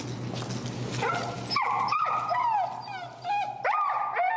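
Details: Finnegan, an extremely vocal feral husky, protests during heel training under pressure in Chicago, giving loud wavering howl-like whines that bend up and down in pitch, several drawn-out cries with short breaks and a low hum beneath.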